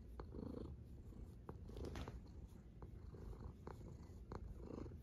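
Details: A snoring cat: a low, steady rumble underlies soft breathy swells that return roughly every one and a half seconds, broken by scattered sharp clicks.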